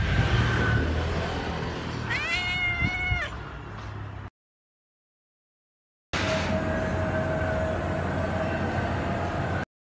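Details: A cat gives a single drawn-out meow lasting about a second, its pitch rising and then falling in a smooth arch, over a constant low hum and background noise; a short silent gap follows, then steady noise.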